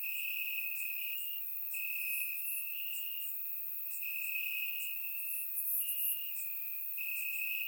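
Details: Bulgarian summer night with crickets chirping in the grass, captured on a surround microphone: a dense, ringing trill pulsing every second or so, overlaid by quicker high chirps from several other crickets.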